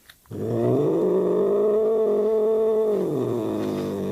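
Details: Angry cat called Vasik, upset and swatting with its paw, holds a steady, throaty growl for about three seconds before the pitch drops slightly, while a woman tries to calm it in Russian.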